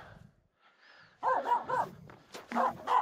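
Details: Aamu, a Finnish Spitz, barks on a snow-pack crossing on Mulen as two reindeer walk nearby. After a quiet start come two clusters of loud, sharp barks, each with two or three rapid yaps, while a person speaks in the background.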